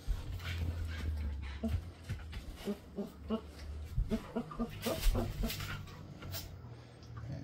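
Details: Belgian Malinois mother Rosie playing with her pups in a nursery, daughter Trigger among them; short, low, harmonic growl-whines come in quick bursts, clustered mid-clip, over scuffling, rustling and a steady low rumble.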